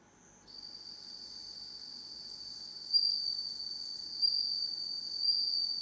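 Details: Bell crickets kept and reared indoors, calling only once it is dark: after a short pause, a sustained shrill ringing note rises and holds, punctuated by three sharper bell-like surges about a second apart.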